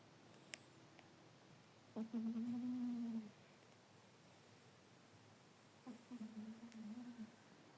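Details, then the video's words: Yloulie, a domestic cat taking a nap, snoring softly: two quiet, droning hums over a second long, about four seconds apart, the second wavering and broken, with faint clicks in a still room. "la chanson de la sieste ou si tous les "animaux" pouvaient ronfler comme ça"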